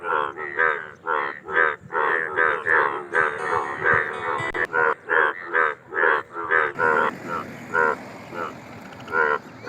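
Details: Indian bullfrogs in a dense chorus of loud, nasal croaks, overlapping and repeated roughly twice per second, with a steady hiss underneath.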